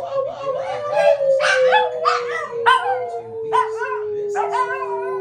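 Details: Pet Shih Tzus howling together, a young dog among them; repeated quavering, rising and falling yowls with rich overtones, layered over a continuous low sustained tone.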